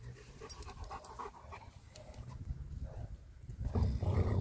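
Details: German Shepherd Major greeting another friendly German Shepherd outdoors on a leash; soft irregular panting builds into loud, low, rapid breathy puffs in the final second.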